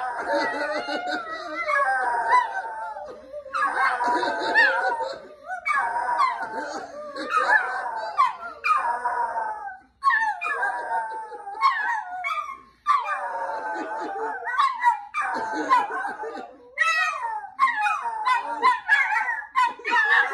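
Several Chihuahuas bark and howl together in high, wavering, overlapping voices with barely a pause.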